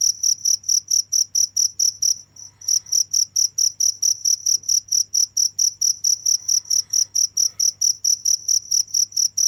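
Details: Steady high, bright cricket chirps pulsing several times a second, broken by a short gap early on, over a quiet low background hum.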